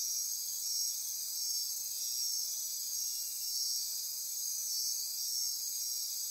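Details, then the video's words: Night-time insect chorus from Costa Rica's Osa Peninsula forests near Corcovado National Park: high buzzing and trilling layers run without pause, loudness swelling slightly in gentle waves. "Midnight Insect Chorus"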